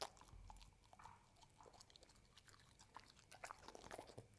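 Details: Pet dog eating a homemade dessert of carob, oats, egg, ube and chicken, served with kibble mush, indoors; soft irregular crunching, biting and chewing clicks, quiet with small bursts of louder crunches.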